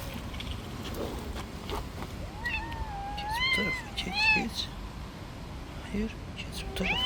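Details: Stray street cat that injured a hand while playing too rough calls in a run of clear, tonal meows, rising and falling in pitch over about two seconds, against low background rumble.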